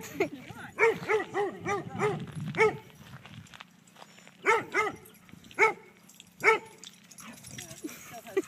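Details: Kaido, a dog playing at a dog park with Maybrie, barks to invite another dog to chase him; sharp barks in a quick burst of five, then single barks spaced about a second apart, with voices in the background.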